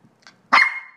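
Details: Eight-month-old female Maltese performing a whisper trick on command: after faint soft breaths, one short hushed bark that trails into a thin whining tone fading over half a second; a person repeats the command afterwards.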